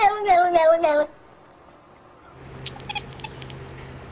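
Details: Cat making unusual sounds: a rapid string of about four wavering, nasal meow-like calls in one second, then quiet with faint clicks and a low hum.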